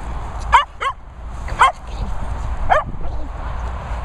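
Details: Dogs, a Hungarian Vizsla and a Bichon named Peppa among them, playing chase and tug: sharp, high yapping barks in short bursts, two quick ones then single barks about a second apart, with low background rumble.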